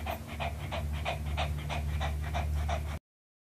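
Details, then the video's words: A Pomeranian dog pants fast and evenly while eating an apple, short breathy bursts at roughly three per second over a low droning hum, then sudden silence. "ASMR Pomeranian Dog | Enjoy Eating Apple"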